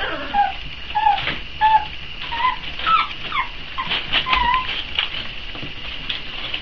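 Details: Four-week-old Boxer puppies waiting for feeding time whimper in thin, high, downward-sliding squeals, several overlapping, scattered through the clip over a steady background hiss.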